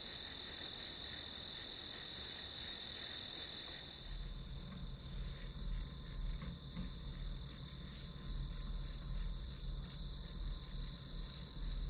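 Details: Grass insect chorus used as study ambience, rapid high chirps pulsing steadily over a ringing drone; after four seconds a low hum joins underneath while the chirping continues.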